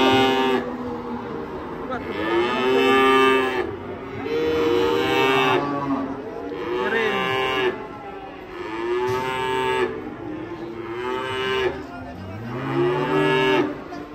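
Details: Big, fat cattle lowing: about six drawn-out, harmonic moos spaced roughly two seconds apart, each swelling and fading, with soft background music underneath.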